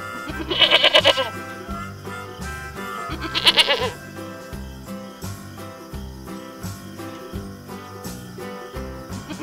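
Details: Mountain goat bleating twice, about three seconds apart. Each bleat is a short, shaky, quavering cry with a fast vibrato. Background music continues throughout.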